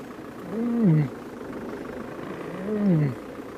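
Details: A lion at sunrise in Sabi Sand, 9 June 2016, gives two low, moaning contact calls, not a cub call, about two seconds apart, each rising then falling, over a steady background hiss.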